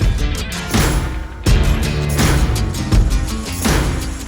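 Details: Loud music with heavy thumping beats and crashes, and no animal voice.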